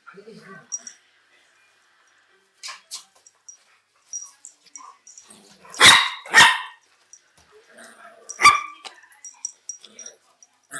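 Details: Pet chihuahuas named Félia and Fox, recorded 27/09/2009: after quiet rustling and faint voices, two sharp, loud barks come in quick succession, followed by a single bark about two seconds later.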